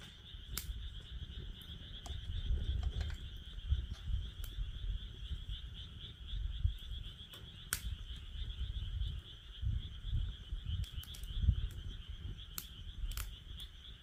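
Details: Next to a campfire in a fire pit, a chorus of frogs keeps up an even, high, pulsing trill while scattered wood crackles snap through and soft wind rumbles below.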